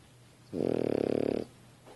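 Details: Sleeping French Bulldog on a couch giving a single rattling snore, about one second of fast buzzy pulses on the in-breath, in a quiet room.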